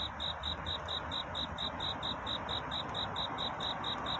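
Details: Cricket singing a courtship song at night toward dawn: a high, bright chirp pulsed rapidly and evenly, about five beats a second, over a steady broad hiss of night background.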